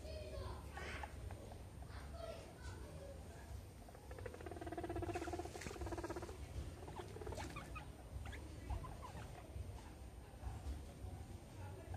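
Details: Meadow and Sandstorm, two pet guinea pigs, play amid a soccer ball and an American football, giving scattered squeaks, then a longer rapid buzzing chutter midway, with soft pattering and light handling noise.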